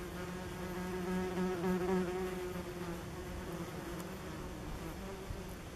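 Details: Common wasps (Vespula vulgaris) at a nest under tree roots beside a forest path, filmed late August to early September 2015; a steady, low droning hum with rich overtones, swelling slightly in the first two seconds, then holding even.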